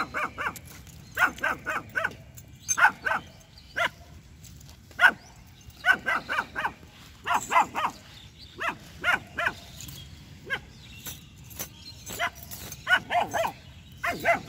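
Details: Jass, a two-month-old female German Shepherd puppy in attacking mode, barks at a street dog and a buffalo. High, sharp barks come in quick clusters of two to four, repeating roughly every second over a low rumbling outdoor background.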